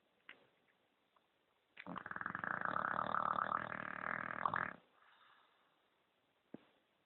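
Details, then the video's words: Sleeping English bulldog named KOA gives a loud, buzzing snore lasting about three seconds, a fast-pulsed rattle, with soft clicks and a faint breath before and after in an otherwise quiet room. "English bulldog KOA snoring like a man"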